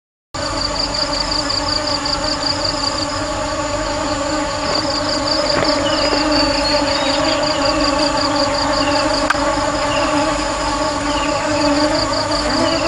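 Honey bees give a steady, low droning buzz with a thin, pulsing whine above it.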